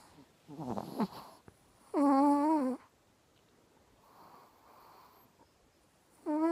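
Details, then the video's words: A fat Chihuahua snoring indoors: each inhalation gives a loud, wheezy whistled snore with a slightly wavering pitch. The loudest burst lasts almost a second, and soft nasal breathing fills the pauses between snores. "The Fat Chihuahua - Snore Snore"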